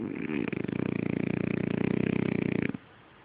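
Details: Sleeping French Bulldog snoring indoors: a rapid rough rattling snore, pulsing about four times a second for over two seconds, then stopping abruptly into quiet.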